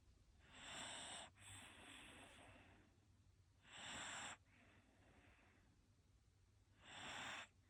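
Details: A Shiba Inu asleep in Japan gives three loud, raspy snoring breaths, each lasting about a second and spaced roughly three seconds apart, the first breath broken by a brief catch, with a quiet background between them.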